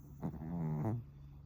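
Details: Pomeranian asleep on a futon, twitching now and then in its sleep, its snoring likened to an old man's; a single rasping, buzzy snort lasting under a second, low and rough with a slight rise at the end.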